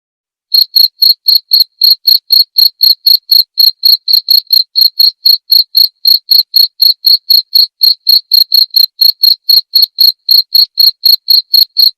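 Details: Cricket recorded clearly as tutor material for teaching white-rumped shamas: sharp high-pitched chirps repeated steadily about four times a second for nearly twelve seconds, each a short bright pulse, over a completely silent background.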